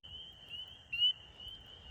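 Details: Spring peepers call in a steady high chorus in a Midwest wetland in spring, with one very close frog giving a loud, sharp, rising peep just before it is hand-caught.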